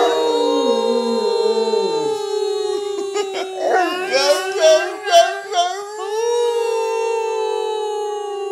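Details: Bullmastiff singing with its owners: a sustained howl that slides slightly in pitch, breaks into wobbling, quavering pulses midway, then settles back into a long level tone. People's voices mix with it.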